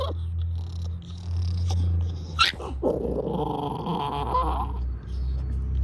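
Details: A small Chorkie (Shih Tzu–Yorkie) puppy tries to growl at another dog resting in a pool, giving a thin, wobbling rumble that breaks into squeaky, rising whimpers over a steady background hum.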